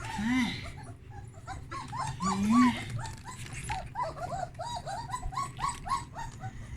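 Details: Puppies in a whelping box with changed blankets, exploring and calling in a steady stream of short, high, arching whimpers and squeals, several voices overlapping, a person's voice now and then in a small room.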